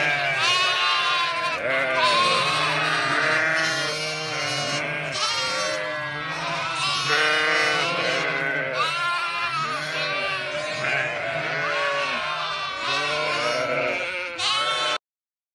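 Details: Flock in Sinop, Turkey, as lambs rejoin their mothers: continuous layered bleating, shrill lamb calls over lower ewe replies, many animals calling at once, ending abruptly in silence.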